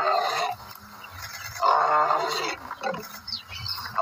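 A lion gives harsh, rasping roars in two strong bursts separated by a brief lull.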